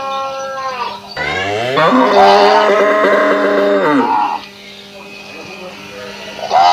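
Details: Indian cow at a village farm in Assam mooing one long, loud, low call that rises sharply in pitch, holds for about two seconds and then drops away, followed by a shorter moo at the end.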